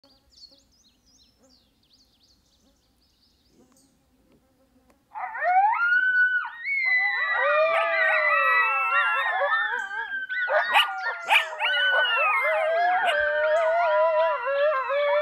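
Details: Coyote pup drawn into howling along with a predator call, an adult coyote later charging in: near-silence with faint insect buzz for five seconds, then loud wavering howls and yips burst in, several overlapping rising and falling voices sliding through high, whining tones.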